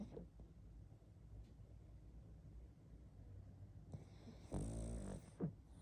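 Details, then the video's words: Quiet stretch of a pug's sleeping breath, then one clear rattling snore followed by a short snuffling puff, low hum underneath. "Мопс спит и храпит"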